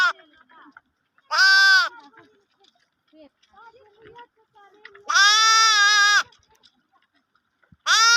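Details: Lambs bleating among sheep while feeding on milk, with bells mentioned: three loud, harmonic-rich bleats, each about half a second to a second long, separated by quieter gaps holding faint scattered sounds.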